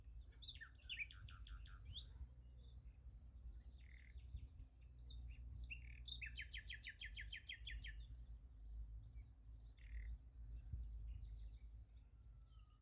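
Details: Beside a sunflower field at night, crickets produce an unbroken shrill pulsing trill; birds break in with bursts of rapid repeated chirping, strongest around the middle, over a low rumble of background noise.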